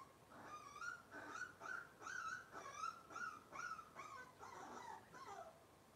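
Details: Robin's litter of Cavalier King Charles Spaniel puppies whining on a kitchen livestream: a steady series of short, high, nasal whimpers repeated roughly twice a second, fairly even in pitch with slight downward bends near the end.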